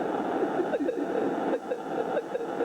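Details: Fin whale calls picked up by SOSUS deep-sea listening devices: a mix of low- and high-frequency calls, short downward-sweeping pulses repeated rapidly over a steady hiss of ocean noise.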